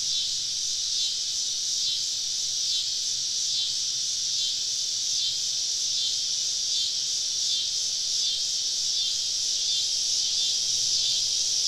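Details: Cicadas in a summer evening chorus deep in southern woods during a camping trip, a steady dense high buzzing drone with faint slow pulsing and no pauses, many insects calling together all around.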